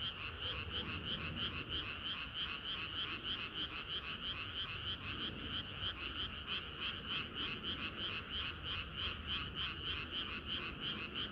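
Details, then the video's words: Summer-night frog chorus: a steady, fast train of croaking pulses, about three per second, rising over a continuous hum of many other frogs calling together. "개구리들의 합창은 끝이 없어라"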